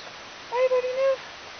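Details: Akita Inu puppy from Ryu's litter of five, 54 days old, at O Chanur Kennel on 08/03/2011, giving a short whistled whine in three quick connected notes, steady in pitch, with people talking before and after.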